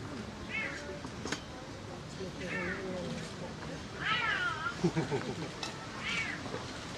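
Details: Snow leopard cub, a zoo baby on its first outing into the outdoor enclosure, crying. Four wavering, harmonic mewing cries, each rising then falling, come roughly every two seconds. Softer low murmurs and thumps sound between them.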